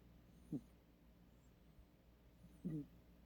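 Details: Sleeping cat snoring indoors: two short, low, rough snores about two seconds apart, each a brief pulsed burst, over a quiet steady room hum.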